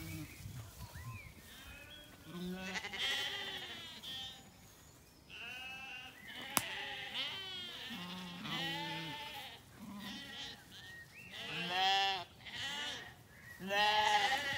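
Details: Loud, quavering bleats from Zwartbles lambs follow one another in an evening orchard in County Kilkenny, Ireland, after a hot day. Dogs come along on the walk, and faint birdsong and a single sharp click are also audible.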